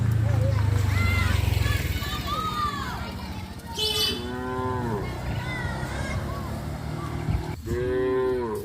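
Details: Cows wandering through a village residential area near a traditional farm during rice planting season; a deep, steady low moo lasting nearly two seconds opens, followed by higher, wavering calls and background village noise.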